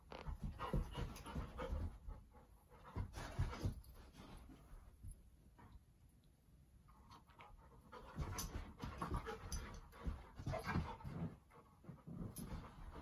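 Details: A male Golden Retriever spins after his own tail, panting hard in uneven, breathy rushes, over 200 a minute, fading briefly in the middle before strengthening again; a woman teases him nearby.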